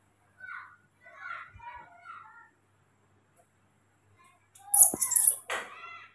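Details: Tiny baby monkeys Moni and Mino pester their sleeping father, giving a run of short, high, squeaky chirps in quick succession, followed after a pause by loud, noisy rustling or scuffling bursts.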